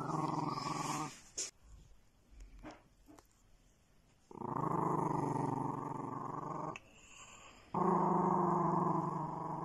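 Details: Pet dog producing long, low, rasping growls, one lasting over two seconds, then another after a short pause, rich in layered rumbling tones; a stretch of quiet rustling and small knocks precedes the growling.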